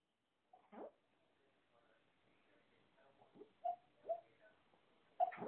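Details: Shih-Poo dreaming while asleep, making faint, scattered whimpers and small muffled yips that grow slightly louder and closer together toward the end, in a quiet indoor setting.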